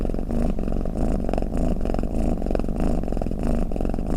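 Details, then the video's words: Sleeping cat snoring, shared as a lulling sound for cats: a close, gravelly low purr pulsing rhythmically with inhales and exhales, unbroken and free of other noise. "เสียงแมวกรน เปิดให้แมวฟังเคลิ้มๆไปเลยค่ะ | Snoring Cat"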